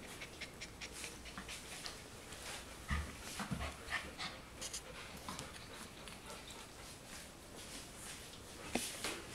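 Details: Golden retriever puppies at four weeks old breathing in rapid, breathy pants that come in soft clusters, with a few low thumps and a brief squeak near the end.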